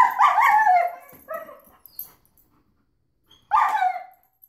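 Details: German Shepherd reacting to a vacuum cleaner: a loud burst of harsh, wavering barking yelps, a short quieter whine, near silence for about two seconds, then one more loud yelping bark.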